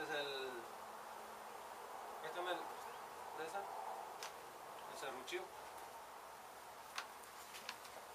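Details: Disturbed honey bee colony in a demolished house in Mission, Texas, during a hive rescue: a brief human voice at the start, then continuous droning buzz broken by scattered clicks and knocks.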